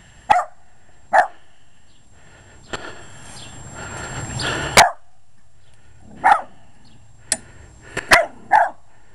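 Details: Short-legged Jack Russell Terrier barking at a lawn mower it treats as a threat, sharp single barks spaced irregularly, a pair near the end, with clicks, rustling and a brief whooshing noise between them.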